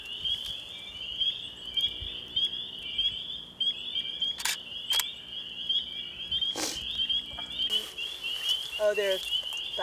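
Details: Spring peepers in full chorus at a vernal pool on April 12, 2015, with thousands present and a mating pair found. The dense, continuous high peeping overlaps without pause, broken by a few sharp knocks and a brief voice near the end.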